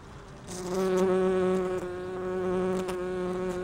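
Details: Bumblebee gathering pollen on rhododendron: a continuous, even, low droning buzz with a clear ladder of overtones, holding steady in pitch through the whole moment.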